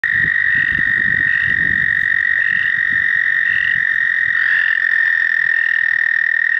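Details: At Shaw Nature Reserve, Missouri, in April 2019, an American toad gives a long, steady, high musical trill that holds one pitch without pause.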